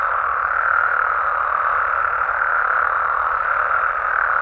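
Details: A nighttime chorus of Mexican frogs and toads in natural habitat, Mexico, forms a thick, even wall of croaking that never pauses.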